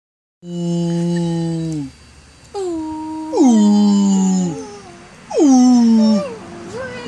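A dog sings in long, tuneful howls that hold a note and then slide downward.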